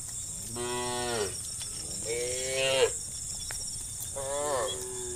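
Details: A herd of cows being herded toward a farm pen moos in three long, harmonic-rich calls, each rising then falling, with a steady insect-like hiss behind.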